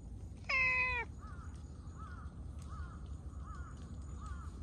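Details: Stray cat running up while meowing: a single loud, clear meow of about half a second that slides slightly downward. Faint soft chirps repeat roughly every half second afterwards over low background rumble.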